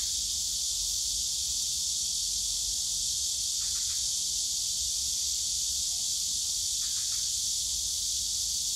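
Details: Summer cicada chorus in the Yongsan Family Park bamboo grove, a continuous shrill buzzing wall of sound without pause, two brief clusters of quick clicks near the middle and end, over a faint low hum of park noise.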